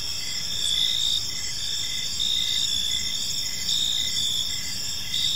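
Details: Evening cricket chorus in a peaceful park, several high continuous trills overlapping, broken by short pauses, with a softer lower chirp pulsing at a steady beat about every half second beneath faint background noise.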